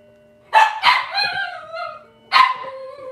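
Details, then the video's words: Cavalier King Charles Spaniel puppies from Robin's litter, livestreamed from a kitchen on a Wednesday morning. Two quick loud yelps flow into a falling, wavering whine, then one more sharp yelp sounds after a short gap. "Cavalier Puppy Live Stream: Robin's Puppies"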